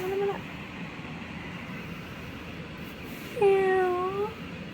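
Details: Pet cat at bedtime in a Thai home, its owner trying to get the young cats to play before sleep; two meows, a short one then a longer tonal one with slight rise and fall, over the steady hum of an air purifier and fan.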